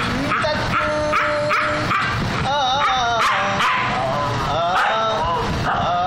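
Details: Siberian Husky howling along to the Hindi song "Tum Tak": wavering, drawn-out howls rise and fall over loud music with a steady beat and sung lyrics.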